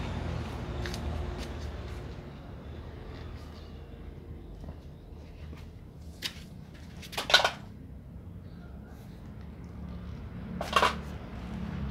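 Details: A quiet indoor room hum with a few short clattering knocks and rustles, and no animal voice heard.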